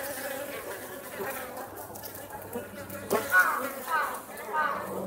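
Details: Japanese honey bees at Osaka Castle, a colony settled for winter, flying out to forage on a mild late-autumn day; a steady, dense hum of many wings, swelling in louder buzzy surges toward the end, over faint background noise.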